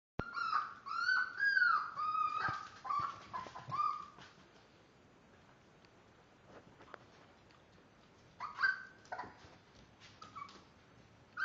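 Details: Five-week-old Miniature Dachshund puppies, born March 30th, give high, wavering whines and squeaks, then fall quiet before a few more.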